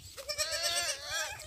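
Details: Rejected goat kid being bottle-fed; a single wavering, harmonic bleat lasting about a second, fairly quiet with low rumbling background noise.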